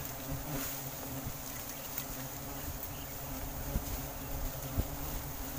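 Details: Wild giant honey bees (Apis dorsata) at a comb being harvested for forest honey in Sumatra: a steady, low droning hum with layered tones throughout, broken by a few sharp knocks and clicks over a constant hiss of background noise.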